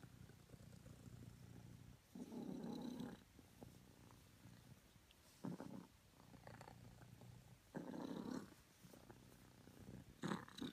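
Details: Morning purr from Honey, a cream self British Longhair: a steady soft rumble broken by louder breathy surges around every two to three seconds, each surge grainy and brief, with faint clicks between them indoors.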